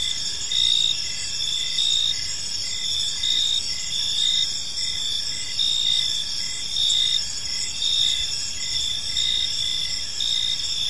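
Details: Evening in a quiet park, with many crickets singing together: dense, unbroken high trilling plus a regular train of brief chirps about every half second, layered over a soft, steady background hum.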